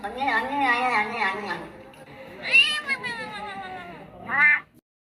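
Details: Cat making weird vocal sounds: a long wobbling meow, a second strained call rising then sagging, and a short sharp final mew before silence, with some speech mixed in.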